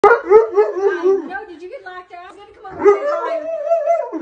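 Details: Alaskan Malamute "talking", tattling on its owner: a loud, wavering, vocal howl-talk in long modulated phrases with a short pause near the middle, a woman's voice following.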